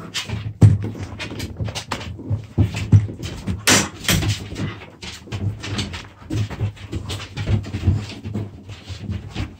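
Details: Puppies play-fighting indoors: rapid bursts of low rumbling growls and scuffling thuds, with sharp broadband snaps and clatter, a steady low hum underneath throughout.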